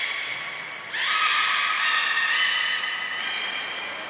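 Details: At Port of Nagoya Public Aquarium, Japan, on 23 February 2021, belugas Hodoi, Taanya and Mirai are moved between pools and trained; a sustained, layered whistle lasts about two seconds, its tone shifting slightly before fading.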